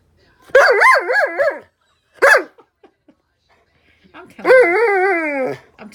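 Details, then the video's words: Dog demanding attention at breakfast time, giving wavering, yodel-like whines: a bouncing moan of about a second, a short yelp, then a long quavering whine; indoors, no other sounds. "Demanding Dog"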